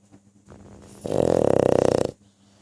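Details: A single loud snore from a pug, a rapid fluttering rattle lasting about one second, preceded and followed by soft breathing and a steady low indoor hum.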